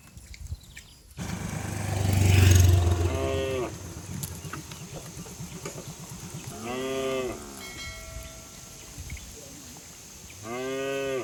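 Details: A herd of cattle leaps and runs down a green hill in a village setting. Three drawn-out harmonic moos sound several seconds apart, over a deep low rumble that swells early and then fades.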